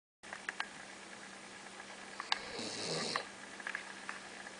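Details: Basset Hound named Oliver, called Mr. Man, snoring in his sleep: a single short breathy snore with a hissing edge midway through, over a steady low hum and a few faint clicks.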